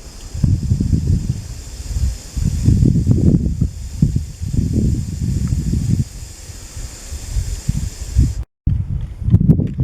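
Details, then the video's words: Hissing Macrovipera lebetina, the blunt-nosed viper, recorded in Cyprus: a run of rough, muffled exhalations in close succession, each a low rushing burst, with a brief dropout near the end. "Hissing sound of Macrovipera lebetina (blunt-nosed viper) Φίνα - Οχιά"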